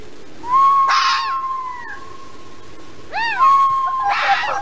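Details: Fox in the mating season giving a long, level whine that holds for over a second, broken by harsh, rasping outbursts, with a second wavering whine and another rough burst following.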